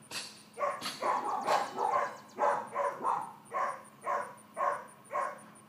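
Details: Excitable four-month-old miniature dachshund puppy Georgia barks in a quick, steady run of bright yaps, roughly two each second, with a soft high beeping tone and low hum in the background.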